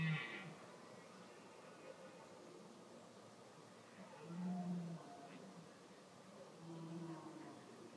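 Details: Red deer; rutting roar; rutting call of the breeding season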